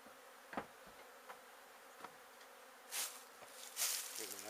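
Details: Honey bee colony being relocated out of a shed in La Villa, Texas; a continuous low swarm hum runs under scattered thuds, two loud hissing bursts, and a brief wavering tone near the end.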